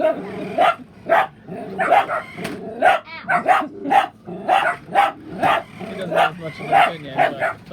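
A dachshund barks in quick, sharp bursts, about two each second, in a steady excited run.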